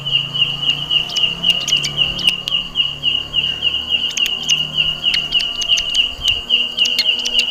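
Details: Loud call of a belalang kecek grasshopper in a jackfruit tree. A continuous shrill, high buzz throbs rhythmically several times a second, with scattered crisp ticks and a faint low hum underneath.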